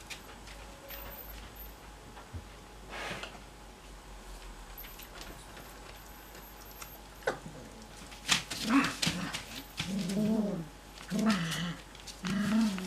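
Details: Cocker Spaniel puppies, not yet ready for bed: a quiet opening, then from about eight seconds a run of short, high, whiny yips and barks in quick succession, with faint indoor background noise.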